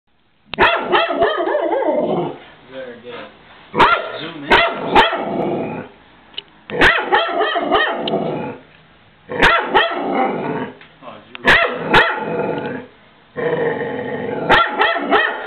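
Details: Pet dog freaking out and barking at the Goodyear blimp overhead: rapid bursts of loud, rough barks mixed with growling, in five or six volleys separated by short pauses.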